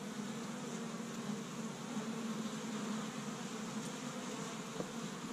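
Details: Honey bees from an established hive in Michigan, busy on the first warm spring day, gathering pollen from tree buds; a steady, low droning hum from many wings with faint overtones and no pause throughout.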